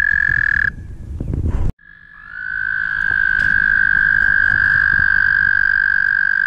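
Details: At the Guildwood waterfront, mating toads trill; one long trill cuts off, a brief quiet follows, then another steady high trill swells up and holds to the end.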